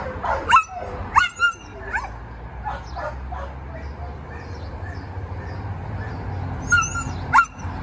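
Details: Shelter dogs, a Labrador Retriever and a Siberian Husky Samoyed mix among them, give sharp yelping barks in short clusters at the start and end, with a low hum and faint activity in between.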